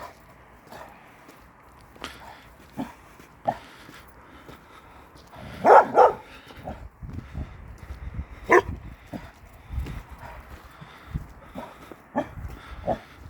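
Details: A Kangal dog, once a shelter dog, responds to a stray female dog in the neighbourhood. After faint scattered sounds, a loud double bark comes near the middle and a single bark follows soon after, amid outdoor background noise.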